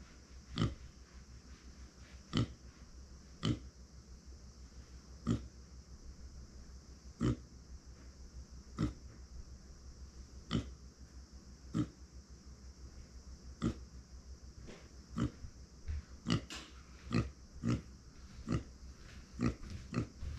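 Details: Pet micro pig Uni, a female born in September 2020, crying out when left without company: a long run of short, sharp grunts, sparse at first, then quickening into rapid clusters near the end, over constant low indoor hum.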